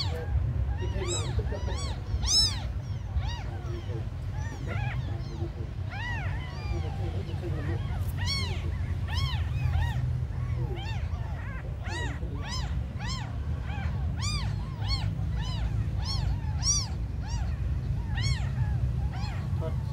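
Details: Little abandoned kittens mewing repeatedly, thin squeaky cries that come in uneven bursts, louder and denser toward the end, over low rumbling noise.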